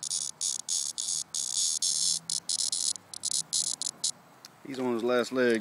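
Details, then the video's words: A summer cicada, fallen from its tree and near death, buzzes in choppy, irregular bursts of harsh high-pitched sound, then falls quiet as a man's voice speaks at the end. "Summer Sound Cicada"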